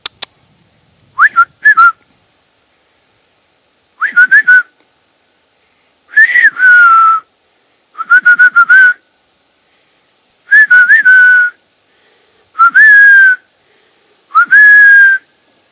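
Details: Roe deer in woods around Poitiers, France, near Futuroscope: a series of about eight nasal whistled squeaks, some clipped and doubled, others drawn out and slightly falling, repeated every one to two seconds in otherwise quiet surroundings.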